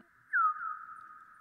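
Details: A bat's echolocation chirp (sonar), slowed about 100 times, heard as a quick downward-sweeping whistle trailing off into a long fading tail; the echoes carry the scene, a wall about three metres high with a fir tree behind.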